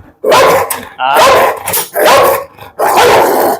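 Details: Pit bull described as having a fierce temper, barking at a visitor during a dog challenge: four forceful, coarse barks in steady succession, each about half a second long.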